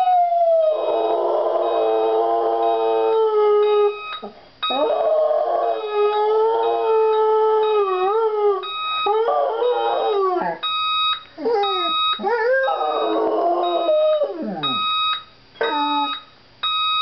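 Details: Pet dog howling at an alarm clock: long wavering tonal howls that slide up and down and break into yelping bends, while the alarm's steady electronic beeps repeat in short regular bursts.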